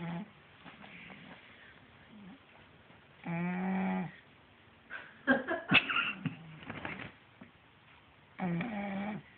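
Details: Sleeping pet cat snoring indoors, with two drawn-out, nasal, harmonic-rich breaths about five seconds apart and some scattered rustling and clicking sounds in between.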